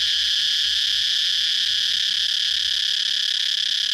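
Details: Cicada singing: a shrill, steady, high-pitched buzzing drone that holds unbroken at the same loudness for the full four seconds, with no other clear sounds.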